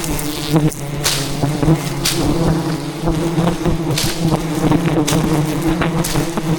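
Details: Relentless attack by wild jungle bees guarding a giant hive during a traditional honey harvest; rich multi-layered buzzing drone from a large swarm, punctuated by several loud knocks and snaps.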